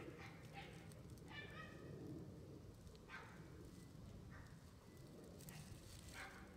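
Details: Twenty-one-day-old red male Shiba Inu pup, only puppy of its litter, getting used to playing outside with its mother; short harmonic squeaks and whimpers sound about six times, spaced unevenly, against a rustling, crackling outdoor background.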